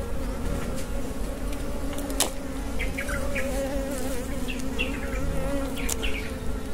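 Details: Honey bees from a wild hive in the Philippines humming steadily during a honey harvest; an even, low drone holds throughout, with faint clicks and scattered rustles over it.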